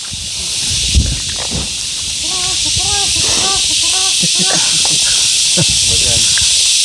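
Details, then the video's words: Cicadas, locally called yayay or kuliglig, a noisy chorus likely from many individuals: a loud, steady, high hiss that holds throughout without a break, with people talking over it. "Yayay, kuliglig, kumbaga. Ang ingay. Siguro ang dami niyan."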